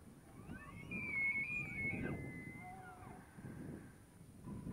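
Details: Tule elk bugling in the rut at Point Reyes National Seashore, a squealing whistle that sweeps upward, holds level, then drops away. A lower faint tone trails after, with breezy outdoor rumble beneath.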